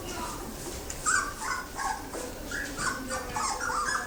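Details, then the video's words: Yellow Labrador Retriever puppies, a litter of thirteen siblings recently woken, whine steadily. Short tonal whimpers, some rising and some falling, repeat about twice a second. A person's voice can be heard in the background. "trzynaście labradorków"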